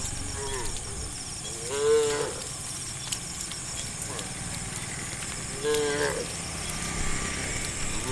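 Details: Herd of tame cows roaming the road toward green rice fields in the morning; two shorter moos about four seconds apart over a noisy outdoor background with faint voices.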